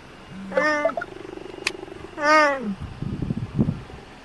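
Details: Cheetahs at the Cheetah Conservation Fund in Namibia give two loud, nasal, drawn-out meows, each rising slightly then sliding down, rich in harmonics, over a low steady hum with soft rustling and scuffing toward the end.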